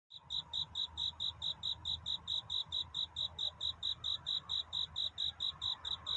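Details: A cricket sings at night to find a mate. Its song is a steady series of short, shrill, high chirps, about four each second, with a soft low rumble underneath.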